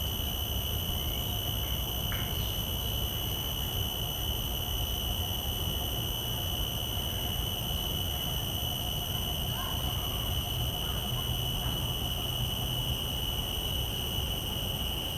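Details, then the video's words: Common cicada, field-recorded through shotgun microphones, holding a steady, unbroken high-pitched drone without pulses, accompanied by low background rumble and a few faint clicks. "Calls of a Common Cicada"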